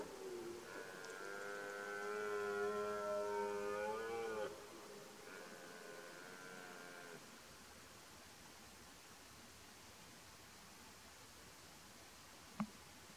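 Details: Red deer twelve-point stag during the 2023 rut, excited: a drawn-out, harmonic-rich roar of about four seconds rising slightly in pitch, then a shorter second roar, followed by quiet background and a single sharp click.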